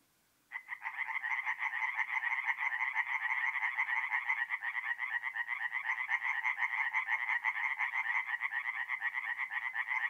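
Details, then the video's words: Nighttime forest pond in north-east Italy, mid April, with singing tree frogs: after half a second of quiet, a loud continuous chorus of rapid, rattling pulsed croaks starts and carries on without a break. "relaxing forest pond by night with singing tree frogs"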